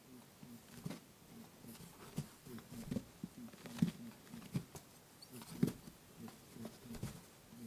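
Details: Pet lop rabbit grunting boo-boo as it chases its playmate Pooh indoors, TASCAM DR-07X recorder: a steady run of low, buzzy honks at irregular intervals, broken by sharp knocks and scuffling of paws.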